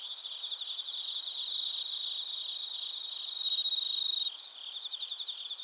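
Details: Crickets and bell crickets sing in Narita, Chiba, Japan, recorded on a TASCAM Portacapture X8. Steady high trills pulse quickly, then a brief clear ringing tone rises above them before giving way to softer, evenly repeated chirps.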